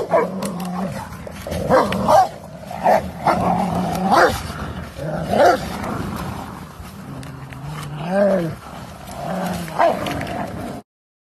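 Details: An American Pit Bull Terrier growls in deep, rumbling bursts with sharp snarls while fighting a Rottweiler.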